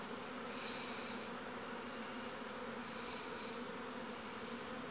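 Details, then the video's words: Steady droning hum of honey bees, unbroken and even for the whole stretch, with soft higher hiss. "Successful Honey Bees"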